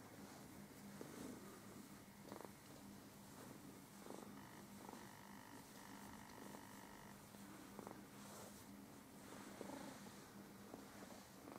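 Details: Relaxing domestic cat purring steadily, a continuous low rumble with a faint hum near a fixed pitch running throughout, soft clicks and short tonal squeaks scattered over it; the cat is shedding its winter coat.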